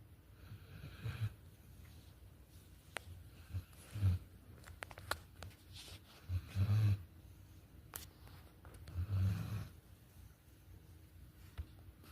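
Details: Sleeping Bernedoodle snoring indoors, low rumbling snores arriving in bursts roughly every two to three seconds, with faint clicks and room noise between breaths.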